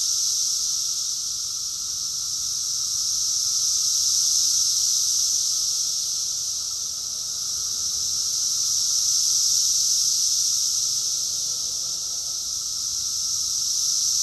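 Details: Summer cicada chorus recorded in Rockville, Maryland, USA, in June 2021: a dense, unbroken high-pitched buzzing drone that swells and fades gently in loudness about every five seconds, with no other sounds standing out.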